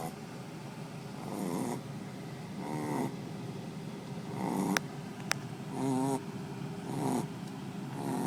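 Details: A Shih Tzu in deep sleep snores in steady, rough breaths, each rasping snore rising and fading about once a second.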